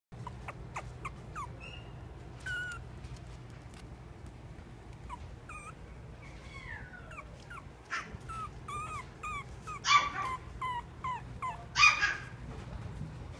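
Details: Chihuahua × Papillon mix dog giving a run of short, high, thin whimpers and yips, some rising and falling, at irregular intervals about every second or two, with two louder, harsher yelps near the end over a low background hum.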